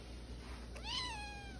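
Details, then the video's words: Small female Siamese cat indoors meowing back at her owner after escaping the backyard and being found two houses down: one short rising-then-falling meow, over a steady room hum. "Hamburger The Siamese Cat Argues With Her Papa!"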